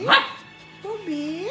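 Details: Playful dogs, a 9-month-old Pomeranian Keeshond with a 2-month-old Husky puppy, indoors: one short sharp bark, then after a pause a wavering tonal cry that dips and rises again, with a person speaking nearby.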